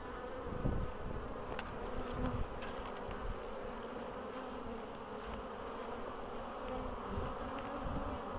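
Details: Spring bees on 14 April 2013, after a long winter, colonies wintered well; a dense continuous hum with a few soft thumps and brief surges of louder buzzing near the start.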